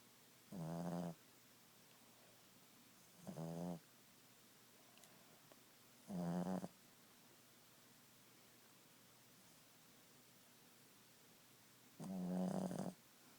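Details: Napping Boston Terrier gives four separate snores, each a low, rattling, buzzy breath of about half a second to a second, spaced irregularly several seconds apart with silence between, in a quiet indoor setting.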